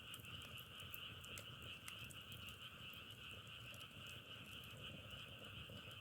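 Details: Frogs heard on a nature trip in Korea, the sound likened to crackling firewood: a dense, continuous chorus of steady high trilling with scattered clicks over a low rumbling background.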